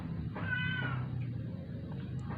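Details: Rescued stray cat, indoors and dying after a vet clinic visit for not eating twelve days; a single short, strained meow, bending slightly, over steady low background hum.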